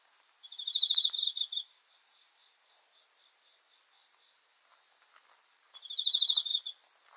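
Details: Cricket chirping at night: two bursts of rapid, high, pulsed trills about a second long, one near the start and one near the end, with a faint hiss between them.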